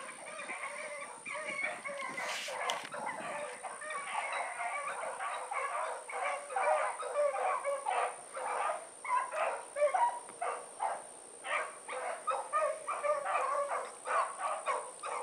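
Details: Far-off Blackreek pack dogs Choco, Dino, Johnny Ringo and Mingo on an evening run, 16 August 2014, keep up a busy, overlapping barking chorus, swelling toward the end, over a persistent high-pitched whine and a brief rustle early on.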